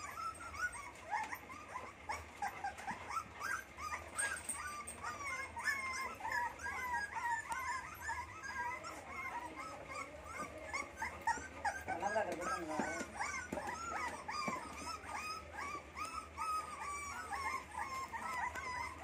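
Rottweiler puppies whimpering and yipping in a steady stream of high, wavering cries.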